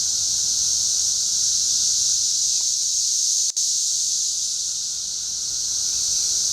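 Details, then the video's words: A continuous high, hissing wall of cicada song from insects throughout the trees of Schroeder Park, Ballwin, Missouri, steady and level with a single sharp click midway. "cicada time"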